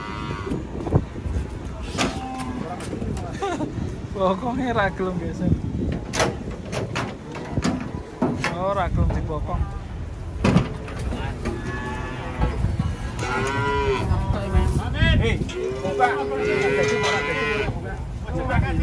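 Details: Cattle unloading from a truck, with several short, wavering moos rising out of a busy mix of knocking, clattering and voices, the clearest moo cluster near the end.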